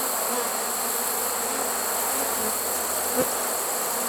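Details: Trapped honey bee swarm, caught late in the season on September 1, 2019, humming in a soft, unbroken drone beneath a hissy background, with one brief click.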